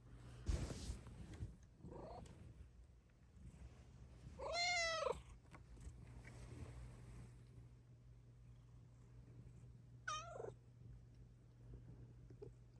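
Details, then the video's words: Luna, a house Bengal cat, gives morning meows indoors: a thump near the start, a faint short call, then two distinct wavering meows about five seconds apart over a steady low hum. "HAPPY MORNING MEOWS TO MAKE YOU SMILE!"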